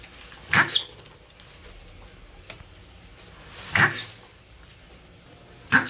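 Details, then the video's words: Marmot giving three sharp, very short calls, each a quick double-pulsed chirp, spaced roughly three seconds apart over a faint steady hiss. "MARMUT SOUND EFFECT 마멋 울음소리"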